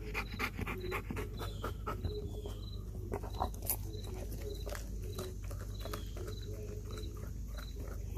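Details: Kayne, a Belgian Malinois, gasps in quick ragged breaths, roughly four per second, as he devours a raw whole chicken following a workout; wet chewing and a faint repeated high chirp run underneath.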